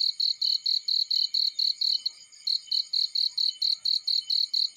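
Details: Field cricket chirping rapidly and evenly, about four high-pitched pulses a second, with one short faltering pause midway before the rhythm resumes.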